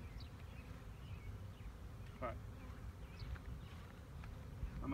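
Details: Honey bee swarm in 2019, the bees disturbed as a beekeeper blocks their path: a thick low hum of many wings persists throughout, with faint chirps and handling noises on top.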